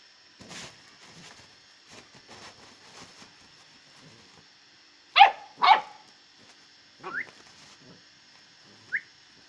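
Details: A one-month-old Great Dane puppy gives two sharp, high yelps followed by brief rising whimpers.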